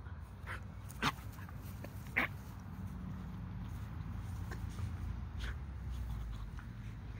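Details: Bull Terrier puppy at play, giving two short, sharp yips about a second apart, followed by fainter squeaky sounds, all over a steady low rumble of background noise.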